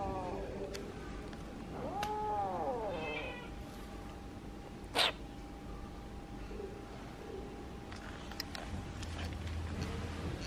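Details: Kitten trying to communicate: one arched, tonal meow early on, followed by a sharp click and quiet background hum for the rest.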